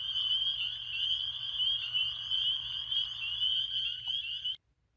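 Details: Dense chorus of spring peepers (Pseudacris crucifer) at Beaver Pond in Bear Brook State Park, New Hampshire, at night; countless high piping peeps blend into one steady, shrill ringing, and bullfrogs may also be present.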